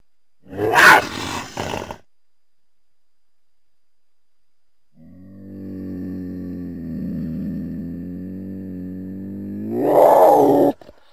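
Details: Cougar, or mountain lion: a harsh, broadband rasping burst of about a second, then silence, then a long steady harmonic moaning tone lasting about five seconds that rises into a louder strained wail at the end.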